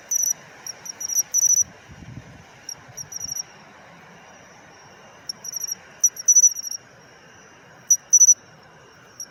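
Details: Pine cricket, matsumushi, chirping in autumn; bright high pulse clusters in short groups, some quieter, recurring at uneven intervals, with a brief low thump near the start of the second.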